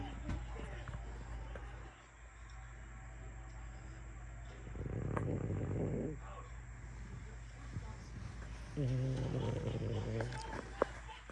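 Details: Sleeping, dreaming French Bulldog breathes in soft, raspy snores. Two quieter buzzing snores come about four seconds apart, over a steady low hum.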